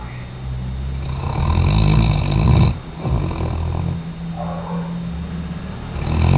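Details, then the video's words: Tchesco, a sleeping Weimaraner dog, snores in long, rough, low rumbling breaths that swell and fade, one drawn out for nearly two seconds, followed by shorter wheezy snorts. "Weimaraner-Tchesco Roncando 2"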